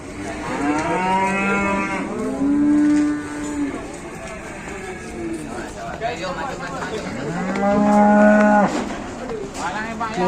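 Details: Cattle at a livestock market, a big bull: two loud, long moos, each rising then holding a steady low tone for about two seconds, with faint chatter in between.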